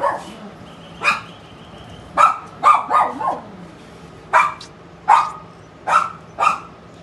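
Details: Male Siberian Husky puppy in Nabha, Punjab, giving about ten short, sharp yapping barks in uneven bursts over seven seconds, some doubled or tripled close together, with a faint steady hum in the background.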